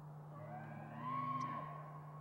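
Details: Bull elk in mating season producing a brief tonal bugle fragment, a held whistle-like note with harmonics swelling in the middle, over a low steady hum.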